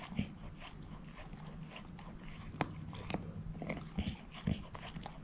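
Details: A female shepherd mix named Moose crunches a bone: low muffled gnawing with a handful of sharp cracking bites spread across the clip, against steady low hum.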